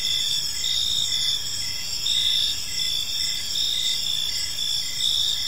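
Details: Crickets chirping in a park on an evening, several insects overlapping in steady high-pitched trills, with short pulsed chirps repeating in a rapid rhythm beneath a constant shrill hum.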